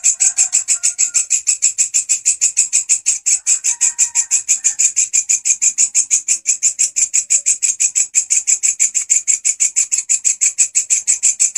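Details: Loud, persistent grasshopper song used as master sound for teaching songbirds: rapid, regular high, buzzy pulses repeated several times per second without pause, with a few faint whistled notes in the background early on.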